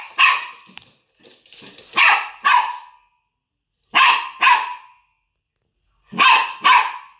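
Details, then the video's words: Maltese puppy barking, unafraid of a Chinese Crested dog: short high yappy barks, mostly in quick pairs, with pauses of about a second between bursts and faint scuffling in between. "Cachorro de bichón maltés no teme a crestado chino."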